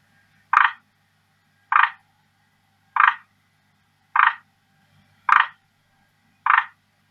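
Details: Captive male forest green tree frog calling to attract a female who largely ignores him; six clipped, raspy croaks evenly repeated about every 1.2 seconds, with a faint low hum and one sharp click.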